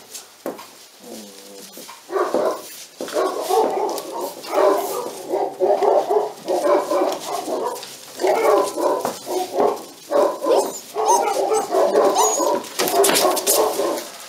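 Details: Pyrenean Mountain Dog puppies, a litter 46 days old at a breeding and genetic reserve centre in Cerdanya, Catalan Pyrenees, give a steady run of short, mid-pitched yapping barks in quick bursts, with scuffling and clatter between them.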